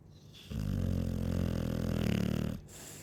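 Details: A Chow Chow's single drawn-out snore, low and buzzy with a rattling texture, about two seconds long between faint breaths.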